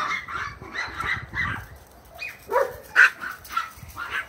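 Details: Playful bark-and-yip exchange from a Bouvier des Flandres puppy racing around with a long-haired Chihuahua: a run of quick squeaky barks, a brief lull, then louder sharp yaps with a rising whine.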